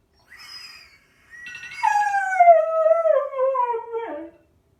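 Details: A 3.5-year-old male Siberian husky named Loki howls at a phone alarm, a long wavering howl sliding slowly downward over about three seconds after a short opening whine, with soft ringing tones at the start.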